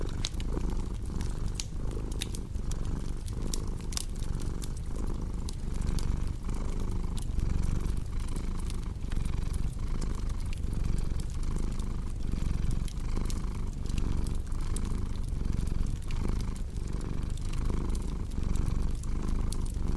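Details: A cat's long, even purr, low and rumbling with regular breath-timed surges under a steady stream of crackling, popping firewood from a fireplace.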